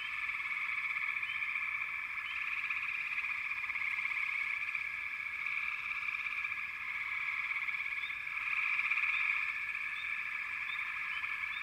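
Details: Massed frogs calling in a backwater, a constant buzzing trill chorus with a few scattered rising chirps and a louder surge near the end.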